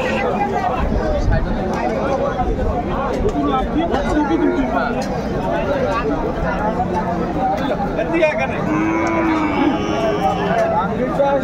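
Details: Cattle at a crowded cattle market where bull calves are sold, 30 June 2024: a few drawn-out, wavering moos near the end rise above constant crowd chatter and voices.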